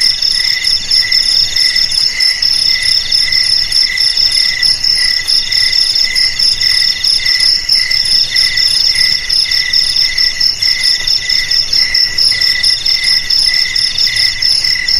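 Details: Crickets trilling without pause, used as a rat repellent: a thick wall of shrill, ringing chirps at several high pitches, finely pulsed and steady over fifteen seconds.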